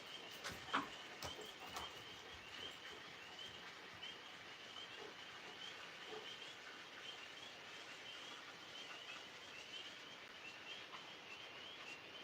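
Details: Tree frogs calling outdoors at night while two Alaskan Malamutes, Moose and Raven, play on grass; a steady high trilling chorus runs throughout, with a few soft knocks and rustles early on.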